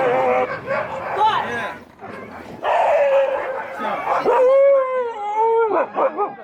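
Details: Husky howling in long, drawn-out tonal notes that waver and slide, with a sustained rising-then-falling howl near the end, mixed with other vocal noise in a visit to a home with huskies.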